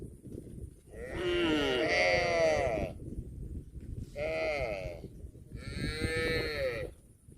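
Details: A herd of tame cattle searches for food in a green field. Three loud, rich moos sound in turn, each with a wavering pitch. The first lasts nearly two seconds, the second is shorter, and the third is a second long, over faint rustling.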